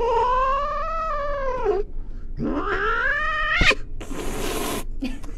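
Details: Domestic cat from a compilation of funny pets: a long, drawn-out harmonic wail that rises and then sags over almost two seconds. A short pause follows, then a second rising wail, a sharp click and a brief noisy hiss.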